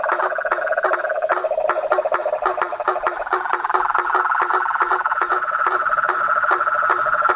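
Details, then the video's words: Toads, frogs and tree frogs calling in nature: a steady pulsed trill around the middle pitch, a higher rattling trill layered above, and sharp clicks repeating at an even pace throughout. "Os sons dos sapos , rãs e perereca na Natureza"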